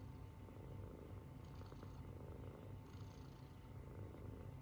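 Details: Munchkin kitten asleep, snoring in a low continuous rumble, two faint breathy hisses marking its breaths, otherwise quiet.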